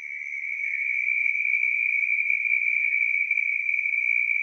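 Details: A Southern toad gives a long, steady, high-pitched trill that holds one even pitch throughout, about an octave higher than the similar American toad's trill.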